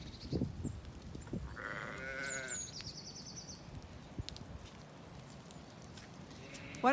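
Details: Zwartbles ewe on a farm in County Kilkenny, Ireland, on a windy, very mild day, being urged to follow the flock up to the orchard where her lamb waits. One wavering, harmonic bleat of about a second, with wind and a woman's coaxing voice.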